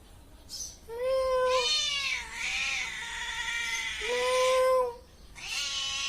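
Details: Cat voicing two long, drawn-out meows, each a steady harmonic wail sliding down slightly at the end, separated by a short gap, with a brief harsher cry at the start and end.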